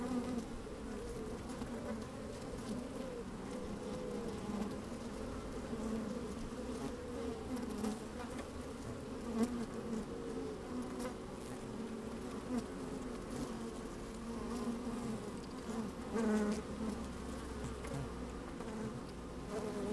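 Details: Busy honey bees in a hive opened on a fine sunny day, heard from a microphone inside: dense even droning with rising and falling buzz tones, occasional sharp ticks as bees brush the microphone, slight wind.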